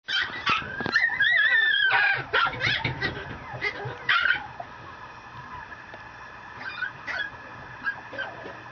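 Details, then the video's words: Female Mame Shiba puppy, a miniature Shiba Inu at a Japanese breeder, giving high whining whimpers and short yips in a busy burst during the first half, then fainter scattered squeaks. "豆柴子犬2/8 女の子♀ 摂州宝山荘 mameshiba dog Puppy （minishiba）"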